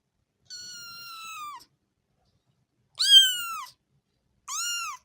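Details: Kitten meowing in three separate calls: a long, level, slightly falling meow, then a louder arched meow, then a short arched one, with silent gaps between.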